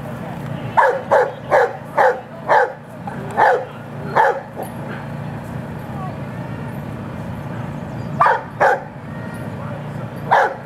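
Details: Rhodesian Ridgeback female barking during her final heat of a lure coursing open finals; a run of about seven sharp barks roughly every half second, then a pause and three more barks, over steady background noise and faint voices.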